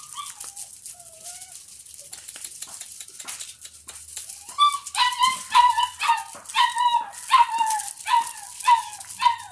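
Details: Doberman puppy eating milk and playing at home; a few soft drawn-out whines, then from the midpoint a rapid run of loud, falling whimpers, nearly two per second, over light background rustling.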